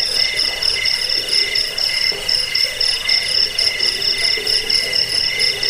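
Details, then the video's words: Crickets in a recording offered to repel rats, lull listeners to sleep and train songbirds: dense, high, rapidly pulsed trills stacked in several steady pitch bands, overlapping without pause over a faint hiss. "Suara jangkik pengusir tikus pengantar tidur"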